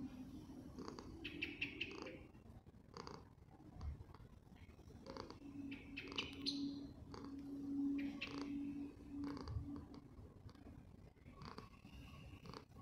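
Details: Poofy the cat keeps up a low rumbling purr beneath intermittent rustles and clicks, while a steady faint hum runs through the middle of the recording.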